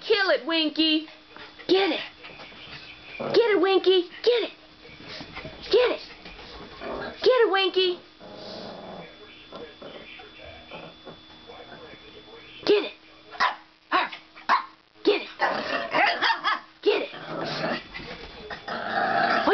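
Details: Play barking between a foster dog and two resident dogs indoors: a burst of sharp, high yelps early on, then mostly human talking with scattered barks and scuffling near the end.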